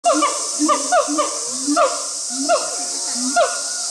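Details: Siamang at Chiba Zoological Park, Chiba, Japan, recorded 2 August 2020 during a performance, giving rapid rising-and-falling whooping notes repeated in short bursts over a steady high hiss of insects.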